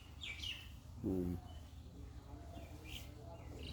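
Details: Garole sheep returning home from pasture at a farm: one short, low, harmonic bleat lasting about a third of a second, with scattered bird chirps around it.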